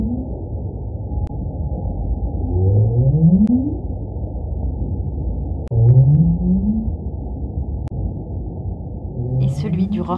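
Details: Right whale recorded underwater by hydrophone: low upward-sweeping moans repeated several times, each rising over about a second, against a loud rumbling background noise.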